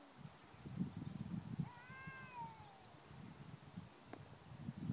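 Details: 'Talking' house cat giving a single falling meow, about a second long, that drops steadily in pitch, set against heavy low rumbling and thumping noise throughout.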